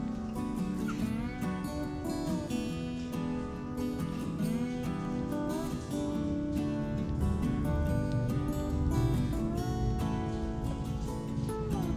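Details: Plucked acoustic guitar music plays steadily throughout with no animal voices standing out.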